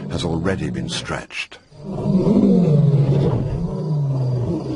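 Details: Lion roaring in another lion's territory, an insult to the resident male Simba, after a brief stretch of human speech; deep, low grunting roar with a falling, sustained tone fills the second half.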